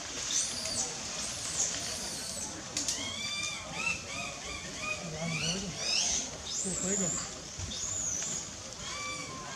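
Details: Wild baby monkey named Lizza in the forest of the Angkor Park area, crying to call its mother because it is hungry; a string of thin, wavering, arched cries over steady background rustle and insect hiss.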